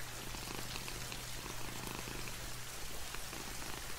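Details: Domestic cat purring steadily, a low continuous rumble with a soft breathing rhythm, while light rain falls outside a window, adding a constant hiss and scattered drop taps throughout.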